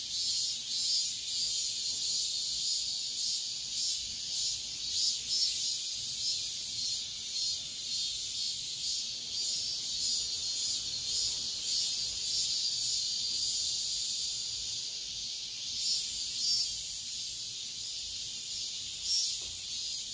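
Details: Cicadas at daybreak in midsummer produce a continuous high-pitched drone with regular pulsing beats, dipping briefly in volume near the end before resuming.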